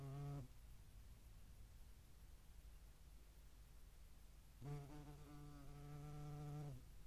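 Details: European hornet buzzing at a feeding site in the Eifel (Dohr), 11 July 2022, where median wasps also feed; a short low hum at the start, quiet gap, then a steady droning wingbeat buzz of about two seconds.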